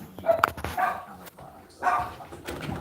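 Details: Domestic dog indoors, freaked out by a neighbour's cat crossing the road: a few sharp barks in quick succession, then a pause and another bark burst, with the owner reassuring it nearby.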